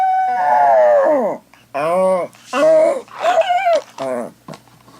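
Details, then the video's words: Pet dog left at home howling indoors in a small room while its owner is away: a long wavering howl that falls at its end, then several shorter mournful howls broken by brief pauses. "When my sister is away... - the howling dog"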